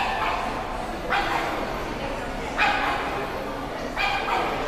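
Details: Labrador Retriever practising heelwork ahead of a competition in July 2010, giving three short, harsh barks roughly one and a half seconds apart over a constant low background rumble.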